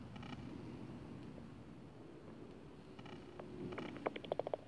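Bat calls on a detector, heard as a quick run of dry ticks and smacking pulses over low hiss.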